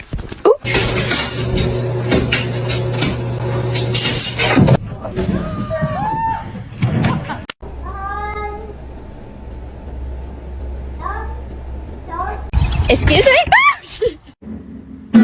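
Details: Domestic cat in a funny pets compilation about a cat fight, giving several drawn-out meows that bend up and then down in short bursts, with loud music, laughter and people talking throughout.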